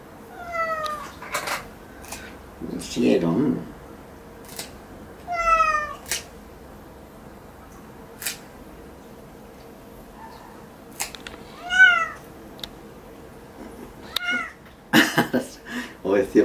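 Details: Sierra, a pet cat, protesting while her claws are trimmed indoors: short, falling meows spaced several seconds apart, one sharper at the end, with sharp clipper clicks and brief human murmurs.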